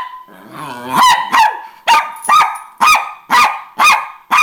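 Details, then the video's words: An angry Miniature Pinscher gives sharp, high-pitched barks, about two each second, after a brief whine. She is barking at her sister, another Min Pin, after the sister competed for the owner's attention when the owner came home. "Miniature Pinscher Angry"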